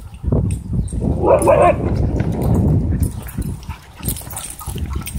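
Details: Dogs, a German Shorthaired Pointer, huskies and a wolf dog, racing and wrestling in a dog park; a short rough growling burst rises over constant low thumping of paws and rumble, with faint voices behind.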